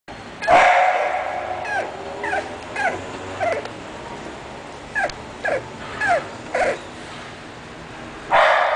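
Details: English Bulldog barking: a loud, harsh bark opens, followed by a run of short, quieter yelping barks about every half second, then another loud bark at the end.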